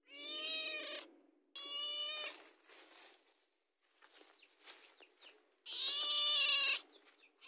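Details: House cat asking for food ahead of mealtime, giving three loud harmonic meows, two close together at the start and one strained, higher one near the end, with soft rustling and small thumps in between.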